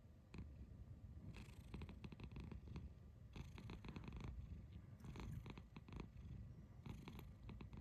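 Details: Domestic cat making kururu sounds, a low rolling trill heard as repeated short throaty pulses in clusters, steady and close, with a faint background hiss.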